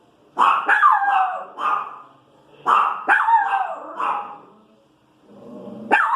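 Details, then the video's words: Female Pinscher dog reacting to street noise with shrill barks and whining yelps, clustered in quick pairs and triples, a quiet gap near five seconds, then a fresh sharp bark at the end. "Cachorrinha "reclamando" do barulho na rua"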